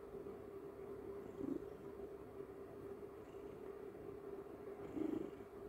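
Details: Domestic cat purring during a morning snuggle with its owner; a soft, continuous low rumble with a steady hum underneath, swelling slightly around the middle and again near the end.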